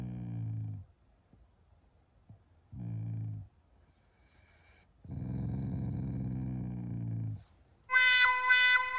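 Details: Shiba Inu growling in the morning as an expression of affection toward its owners, not anger: three low rumbling growls, short, short, then long and steady, followed by a bright high-pitched tone at the end.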